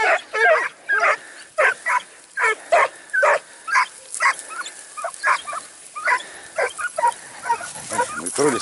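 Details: A Segugio Italiano during training near Sofiko, Evros, recorded 12 September 2018, barks in loud, ringing yelps about twice per second, each bark sharp and short, with a slightly uneven rhythm throughout.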